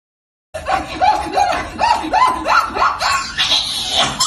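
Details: Domestic cat giving a rapid run of about a dozen short, rising, harmonic mews, one roughly every third of a second, getting higher and more strained toward the end; indoor room sound.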